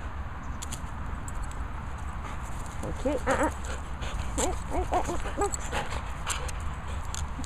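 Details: Border Collie named Magical Max playing with and enjoying his toys, giving a run of short, high, rising-and-falling whimpers and yelps in the middle of the stretch, over a steady low hum and faint rustling.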